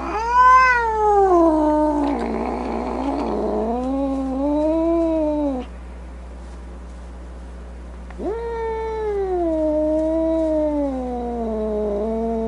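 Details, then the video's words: Angry cat yowling in long, wailing moans that swoop up and slide down, one rough, growly stretch in the middle, a pause, then another drawn-out descending wail. "Cat Angry Sounds | Cat Snarling, Cat Hissing, Cat Moaning | Angry Cat Sounds"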